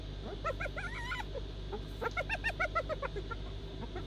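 A hyena laughs with two rapid runs of short, high-pitched yelping notes, each note rising and falling in a giggling series. A low, steady rumble of background noise sits underneath throughout.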